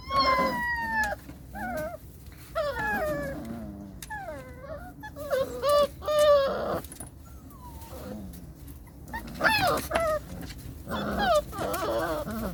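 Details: Belgian Malinois puppies screaming in long, drawn-out whines and howl-like cries that slide downward, with separate squeals spaced a second or two apart and a dense burst of yelps near the end.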